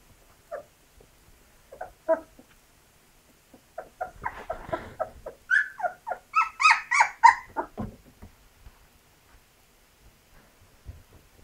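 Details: Two-week-old Labrador Retriever puppies making their first attempts at walking, indoors; scattered soft squeaks build into a burst of high, wavering whimpers and squeals over several seconds, then fade back to occasional faint squeaks.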